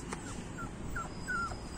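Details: Labrador Retriever that doesn't want to play and wants to sleep makes soft, thin, high whimpers: short falling whines about four times in under two seconds over a steady low background rumble.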